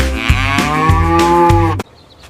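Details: Cow mooing: one loud, steady, drawn-out moo, rich in harmonics and lasting nearly two seconds, with light rhythmic clicks beneath it, then a sudden stop into near silence.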